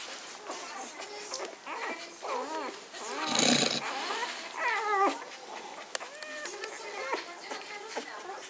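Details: Whining Magyar Vizsla puppies from a litter born in spring 2015: thin, wavering high whimpers in short bursts, with a brief loud rustling burst midway and soft background music and voices.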